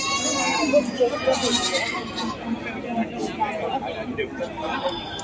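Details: A goat at a busy animal market bleats with a quavering, harmonic cry at the start, followed by fainter bleats. Human voices and general market din continue throughout.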